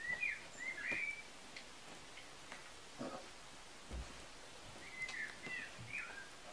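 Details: Kuvasz puppies, a litter of Armani Niclas vom Crystal Diamonds and Arika Majna-menti Mákvirág, recorded 14 July 2014: thin, high whistled squeaks in short curving bursts near the start and again late, with soft tapping and shuffling between.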